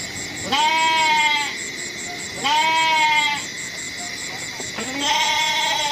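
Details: Three goat bleats about two seconds apart, each a trembling, nasal call lasting roughly a second. A brief low grunt comes before the last bleat, with a faint continuous electronic whine behind.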